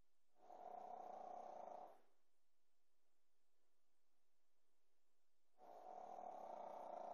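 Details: A Pekingese puppy snores in long, raspy, rumbling breaths spaced several seconds apart.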